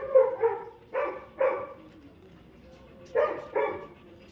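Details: Labrador Retriever puppy named Jackie during crate training gives six sharp barks in three pairs, spaced about a second apart, with a quiet gap before the last pair; indoor room, no other sounds.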